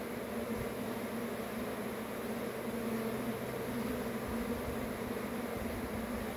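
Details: Dense honey bee swarm drone, constant and evenly loud, a rich buzzing hum with a steady low tone running beneath it.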